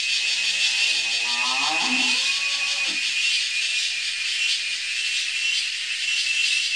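A male cicada's steady, high-pitched buzzing drone holds without a break from start to finish.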